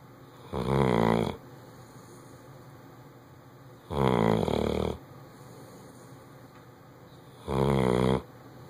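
A Bloodhound snores loudly, with deep, rattling breaths repeating about every three and a half seconds.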